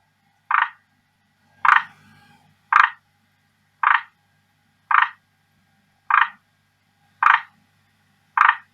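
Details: Pet male forest green tree frog, kept since around May 2019, appealing strongly to a female; eight short grating croaks at a steady pace of about one per second, with light clicks and soft background hum.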